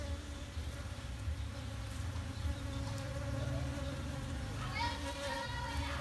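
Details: Honey bee buzzing as a steady low hum with a faint harmonic drone throughout, fairly quiet, with a brief higher whine near the end.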